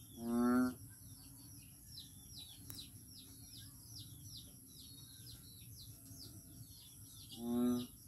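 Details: A frog in Daanbantayan, Cebu, gives a single low, droning, nasal moan, then about seven seconds of quiet broken only by rapid high insect chirps before a second identical moan ends the clip.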